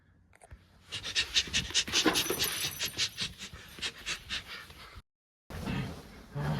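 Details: Shiba Inu puppy panting hard while playing tug: rapid, rhythmic breathy puffs, about two and a half per second. After a brief silent break the panting resumes more softly.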